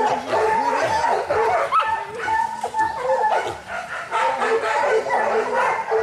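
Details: Young Kishu dogs during boar-hunting training in Japan, 7 November 2010, with other local hunting dogs: a dense chorus of overlapping barks, yelps and whines, constant and excited, with no pauses.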